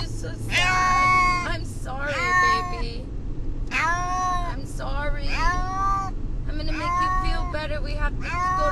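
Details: On the drive to the vet, distressed house cat Brutus the Beefcake cries in loud arching meows, some clipped and some long and bending downward, coming irregularly amid low vehicle rumble.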